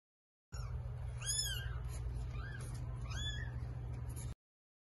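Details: Mother cat giving birth to eight kittens: a quick run of three shrill, arched mews with bright overtones, the first loudest, set over a continuous low background hum.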